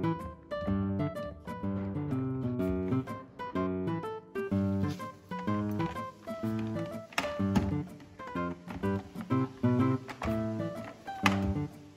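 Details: Plucked acoustic guitar music plays steadily throughout, with no animal sound heard.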